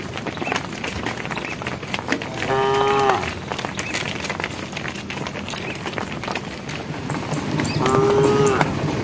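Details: A herd of cows walking along a project road toward evening, one cow calling to the herd: two clear, harmonic moos, each about half a second long, roughly five seconds apart, over steady road and outdoor background noise.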